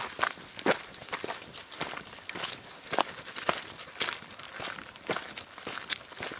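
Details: Steady crunching footsteps on an outdoor rural path, with light rustling and no animal calls.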